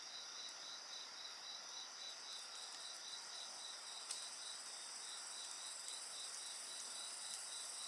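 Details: Shrill insect song by a bonfire, with a high pulsing trill beating almost four times per second above continuous ringing tones, and a few faint crackles from the fire.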